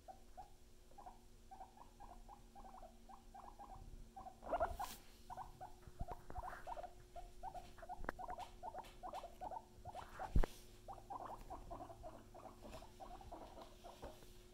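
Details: Pet guinea pigs Luna and Chip: a long run of short, low-pitched chuttering bursts repeated several times a second, with a steady faint hum underneath and a few sharp clicks and knocks.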